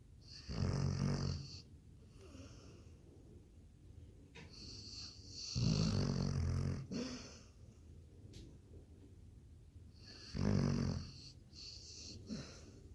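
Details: Labrador Retriever deep in sleep, giving rhythmic rumbling snores with wheezy hiss, three or four breaths spaced roughly four to five seconds apart, quiet indoor background.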